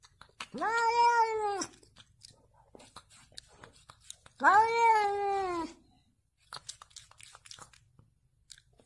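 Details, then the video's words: Domestic cat from a funny compilation of 'talking' cats, giving two long drawn-out meows of about a second each, rising then falling, with a short pause between and faint clicks in the background. "Funny talking Tom cat/Nagsasalitang Pusa?"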